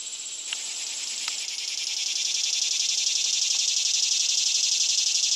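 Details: A cicada singing its loud song, a rasping pulsed buzz that swells in volume and broadens after the first second, with a few soft clicks early on.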